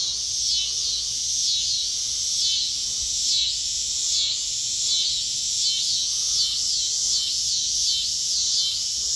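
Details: Backyard cicada chorus heard near kittens, a loud unbroken high-pitched buzz that rises and falls in rhythmic waves about every second.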